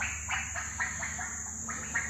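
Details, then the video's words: Frogs calling at night at a hotel on Zanzibar, Tanzania: short, bright croaks repeated about every quarter second, over a steady high electrical hum. "le son qu'on entend c'est des grenouilles"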